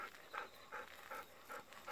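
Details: Golden Retriever out on an evening walk, waiting for unripe persimmons; rhythmic rasping pants roughly every 0.4 seconds, soft and airy, with a faint outdoor hush behind.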